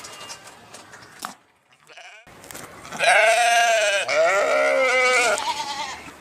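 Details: After a quiet start with a few soft clicks, a sheep gives a long, tremulous bleat that runs straight into a second, slightly falling one.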